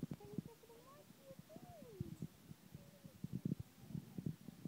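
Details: Meerkats at the Cotswold Wildlife Park give soft, gliding peeps mixed with quick low clucks and clicks.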